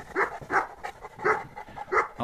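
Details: Central Asian Shepherd dogs, including the adult male Altai, who is said to want to run around too: four evenly spaced barks, each short and punchy, repeated about every half second.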